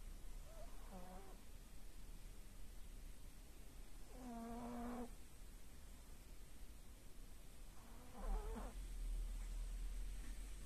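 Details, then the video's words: Aya the pug asleep, snoring in slow breaths: three whistling, harmonic snorts about every three and a half seconds, each a short nasal rasp, over a steady low indoor hum. "Храпят ли мопсы?!"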